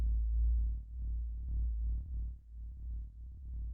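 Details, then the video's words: Fin whale calls picked up as seismic vibrations by coastal citizen-science seismometers and converted to audio: deep, throbbing low pulses, each about one second long, repeating every 10 to 15 seconds, with no higher tones. "So these fin whale signals, they're basically just a 1 second long sound, and then between 10 and 15 seconds to the next one."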